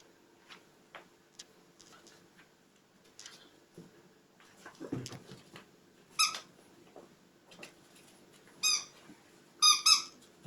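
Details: Quiet scuffling with a low thud midway, followed by brief, thin puppy squeaks spaced a couple of seconds apart, the last two nearly back to back.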